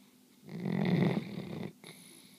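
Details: A single long, low rasping snore from Belle, a sleeping dog, lasting over a second and rumbling deep, followed by a soft breath and a faint high whistle.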